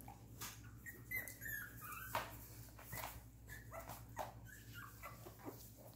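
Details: Tiny squeaking cries from 2.5-week-old silver and silver-beige Miniature Poodle pups, brief high whines scattered irregularly among soft rustling thumps, with a faint steady electrical hum underneath.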